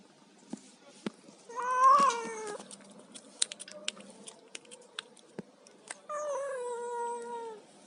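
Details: Cat eating fish indoors meows twice: a loud wavering cry near second two, then a longer falling meow at the end, with scattered sharp clicks and chewing noises in between.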